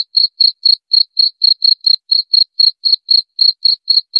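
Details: Brief run of cricket chirps: high, clipped pulses repeated about four times each second with even spacing and no background noise.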